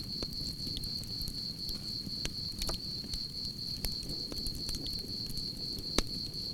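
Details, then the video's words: A continuous shrill insect trill from crickets holds one high pitch without pause, while the campfire snaps irregularly and a soft low roar of flames fills the bottom of the sound. "Soothing Cricket Sounds"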